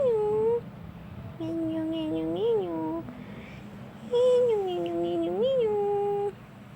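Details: Tarzan, a young black male domestic shorthair cat from Petaling Jaya, Malaysia, up for adoption, gives two drawn-out wavering meows indoors, pitch dipping and swelling mid-call, softer than a shout, with quiet room hum between.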